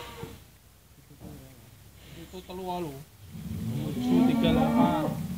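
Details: Cattle reacting while being weighed: after men's voices talking nearby, a loud, low, drawn-out moo fills the last second and a half, rich in harmonics.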